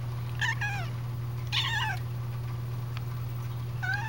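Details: Calico kitten indoors, said to be trying to say "out" as she asks to go outside; three separate falling meows spread across the clip, the middle one longest, over a constant low hum in a small room.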